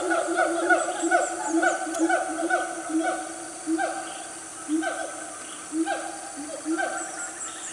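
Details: Loud siamang family in Gunung Nuang forest, Selangor, Malaysia, on a cool morning at about 10 am; repeated swooping, falling whoops, dense at first then spaced about a second apart, over a continuous high insect hiss.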